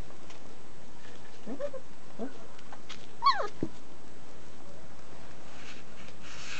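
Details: German Shepherd puppies, 29 days old, from a litter raised in a family environment, give a few brief, high whines and yelps over a steady background hiss.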